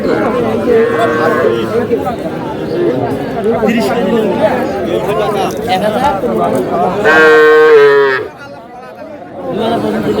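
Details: Young cattle at a Dhaka market on 4 February 2026, where a farmer buys the smallest bull and heifer calves; a loud, high, drawn-out moo rings out near the end over steady crowd chatter and haggling voices.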